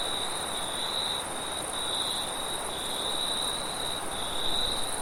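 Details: Crickets calling at night with wind: a steady, high, shrill chirring trill that pulses gently throughout, over a constant broad rush of wind noise.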